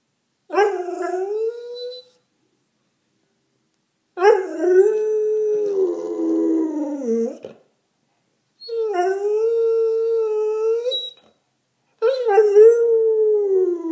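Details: English Springer Spaniel howling: four drawn-out, wavering howls of one to three seconds each, separated by short silences, some starting with a higher yelp before settling into a steady mournful tone.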